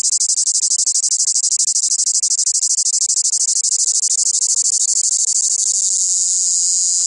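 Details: Cicadas in southern France give a loud, harsh, high-pitched buzz that pulses rapidly without pause.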